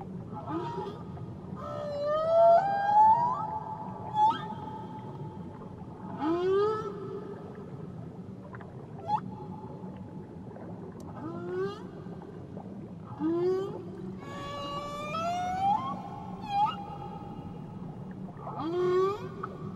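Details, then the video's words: Tahiti whale song with repeated phrases: harmonic upswept whoops, short rising grunts and longer level moans recur every few seconds over a low background rumble of the sea. "Nature Sounds Only Whales & Beaches"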